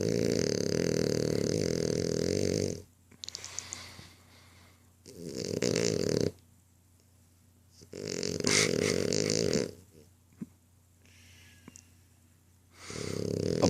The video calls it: Snoring French Bulldog (Apollo)